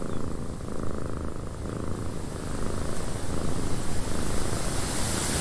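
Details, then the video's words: Domestic cat purring in a windy cabin: a steady, low, rumbling drone that fills the bass, with a soft hiss of wind over it and no clear breaks. "Cat Purring in a Windy Cabin 8 Hours of Blissful Purring"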